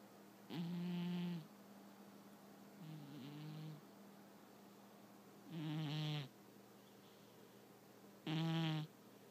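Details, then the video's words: Domestic cat asleep and snoring, four rough snorts at uneven intervals of roughly two to three seconds, some soft and some louder and more rattling, over a quiet indoor background with a faint steady hum. "My cat Martini snoring"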